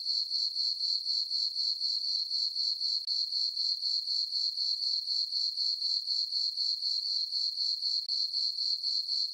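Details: Crickets chirping on a peaceful summer night in a meadow on a farm under a full moon and dark skies: a steady, high, shrill trill pulsing about four times a second without pause, with no other sounds.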